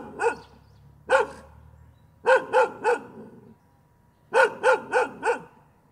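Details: A dog barks again and again, single barks opening, then runs of three and four rapid barks separated by pauses of about a second, with quiet low hum between.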